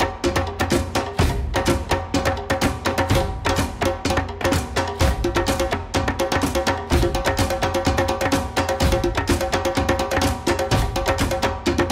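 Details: Percussive music with steady wood-block and drum beats about once a second over sustained tones, with no animal voice.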